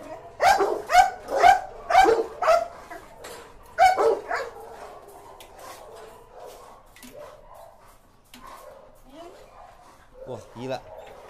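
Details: Dog barking fiercely as Musso faces a pitbull, a rapid burst of about seven loud barks in the first four seconds, then fading, softer yelps and people talking.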